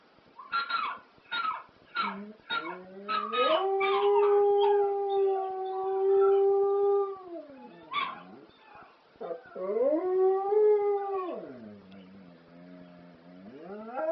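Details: Spliff the dog howling to ELO's classic song Telephone Line: rapid yips build into a long steady drawn-out howl held for several seconds, a sharp yelp, then another rising sustained howl that sinks away.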